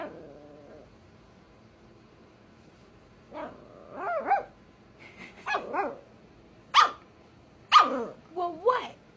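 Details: A 5-month-old Scottish Terrier-Chihuahua mix puppy barking and growling while trying to get her 2-year-old sister to play; a low sustained growl, then a run of sharp yappy barks with rising and falling whines, a person speaking at times.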